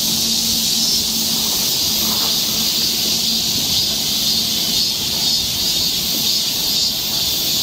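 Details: Continuous shrill cicada chorus from a Korean summer forest path in Seoul, an even, seething high buzz that barely changes, over a faint low steady hum.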